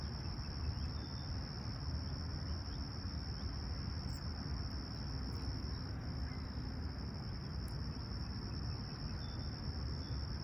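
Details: Chirping crickets on a serene Toronto summer sunrise, Humber Bay Shores, Tuesday July 28, 2020, outside temperature 20ºC. A continuous thin, high, even buzz holds without pause above heavy low-frequency background rumble, with a couple of faint short chirps from birds.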